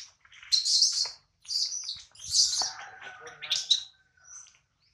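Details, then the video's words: Hungry baby monkey named Adler, missing his mom and held by a small monkey, gives piercing high-pitched squeals in four or five separate bursts, each about half a second long, against a quiet background. "POOR BABY MONKEY CRYING IN HANDS OF SMALL MONKEY BABY MONKEY ADLER MISSES HIS MOM AND HUNGRY"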